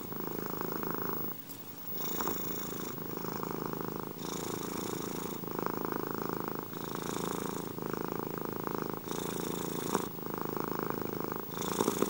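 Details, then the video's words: Moni or one of her cat friends purring contentedly into a close microphone, filmed with a Samsung S9+: an unbroken buzzing rumble with rhythmic rises and falls as the cat breathes in and out, about every second. "asmr gato ronroneo. ASMR cats purring."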